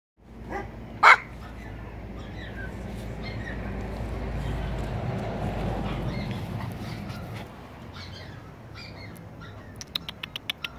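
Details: Spitz named Kiryusha gives a single sharp, loud bark near the start, followed by steady low rumbling background noise and a few faint ticking clicks near the end.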